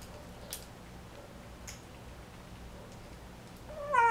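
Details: A kitten of an American Shorthair line bred for folded ears, at her first meal in a new home in Taiwan, gives faint clicks and odd noises while eating, then a short, high, wavering mew.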